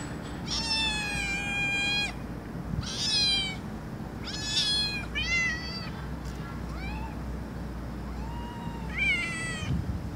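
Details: Domestic cat meows gathered to call cats over: a lively run of bright, strongly harmonic meows, long and short, some wavering and some rising, in quick succession with short pauses.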